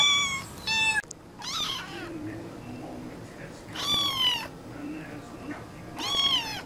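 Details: One cat meows several times: a pair of short cries, then a rising, quavering meow, followed by two louder drawn-out wails with a pause between them, in a quiet room.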